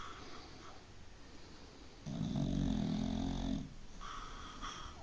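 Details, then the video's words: Sleeping dog snoring: a single long, rough, low snore lasting about a second and a half, set between quieter stretches of breathing. "Snoring Dog"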